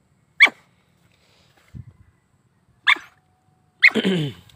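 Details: Vietnamese native-line hunting dog (chó cỏ) giving three sharp, separate barks about a second or more apart, the last one longer with a ringing, whiny tail, in otherwise quiet surroundings.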